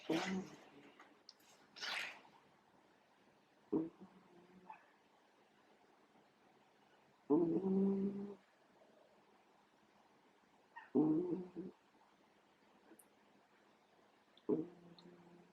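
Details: A small cat snoring loudly while asleep indoors, its snore oddly resembling a pig's grunt; harsh, low rasping breaths recur every few seconds, each lasting about a second, with quiet pauses between.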